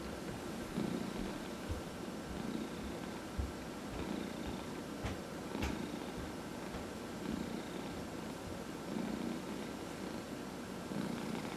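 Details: Cat purring while massaged at home, one of four cats including senior adoptees; soft steady low purr with breathing swells and a few sharp faint clicks, otherwise quiet room.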